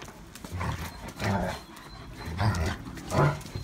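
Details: German Shepherds romping together in rainy weather, giving low rumbling play growls in four rough bursts roughly every second, each with a deep throaty base and harsher upper edge.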